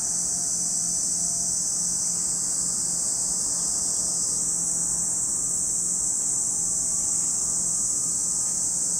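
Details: Cicadas at Lake Kamo in Sado City, Niigata Prefecture, Japan: a dense, unbroken high-pitched shrill drone holds steady throughout, with a slight shift in tone about halfway through.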